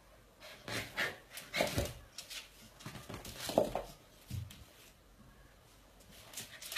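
A mother Bull Terrier gives short, breathy huffs and rough bursts while correcting her puppy.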